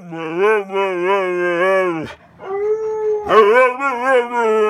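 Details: Dog left with no one to play with, giving a long wavering howl-like cry for about two seconds, a brief pause, then a second bending, wobbling cry rising and falling in pitch, loud and clear over a quiet room.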